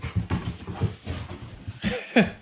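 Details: Golden Retriever Peta, a one-year-old male born June 2019, pet dog at home: quick breathy panting in low rhythmic bursts, roughly four per second, ending with a brief sharper rising sound.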